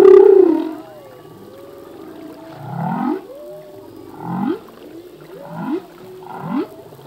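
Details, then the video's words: Singing male humpback whale in the open sea: a loud opening moan, then gliding wavering tones and a series of short rising sweeps with bright upper bursts, repeated about every second. "Whale song - full length humpback whale song"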